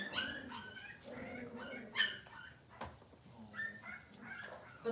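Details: Cavalier King Charles Spaniel puppies in a kitchen on a cloudy morning, giving a run of thin, high, squeaky whimpers in quick succession, several overlapping, with soft human voices and small clatters in the background.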